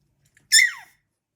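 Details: A three-week-old male Staffordshire Bull Terrier puppy gives one shrill, squeaky bark that drops quickly in pitch.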